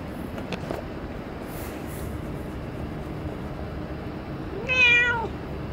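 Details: Cat meowing once at Dockyard Garden, 17 June 2017: a short, bright, harmonic mew near the end that rises slightly then falls, heard over a continuous low mechanical drone.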